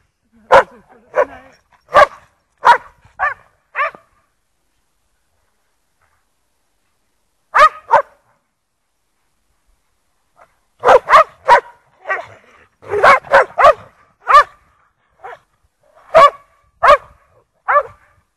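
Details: Lurchers Egg and Toby with Buttons playing in the snow at Priory marina in Bedford; short sharp barks come in bursts, several in quick succession, then pauses of a few seconds before the next volley.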